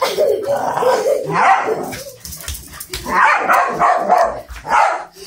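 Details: An Italian Greyhound on the attack in a chase gives a run of sharp, fairly high yapping barks in quick, uneven bursts.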